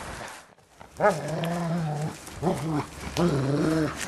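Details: Bernese Mountain Dog play-fighting with its owner and biting softly gives three low, rumbling growl bouts, the first drawn out for about a second, the others shorter and wavering.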